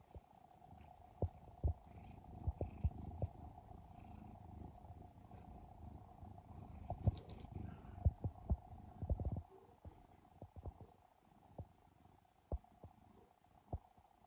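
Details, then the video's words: Sleeping house cat in Japan, a rescued three-year-old sibling, snoring with a deep continuous purr while kneading the air; a low throbbing rumble underlies scattered sharp clicks and rustles, with a steady background hum throughout. "イビキをかく猫ゴロゴロ音に空中ふみふみ♪Snoring Cat"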